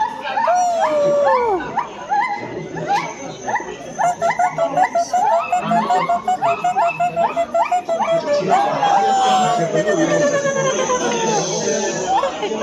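A silvery gibbon calls with pure, hooting whoops that rise and fall in pitch. The notes speed up into a fast, bubbling run before slowing into long, sweeping glides.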